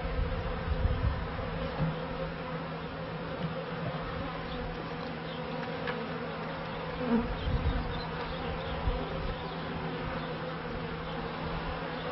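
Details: Honey bees humming in a 1994 bee yard with its first hives, a continuous even drone carrying a faint steady tone, with a few brief louder bumps and crackles.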